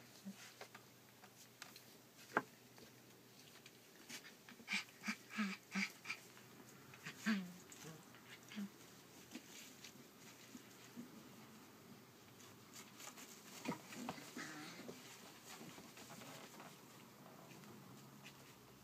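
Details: Collie puppy, 34 days old, recorded 29 July 2012, giving short high whimpers and squeals clustered between five and eight seconds, with a few fainter cries later amid indoor shuffling and tapping.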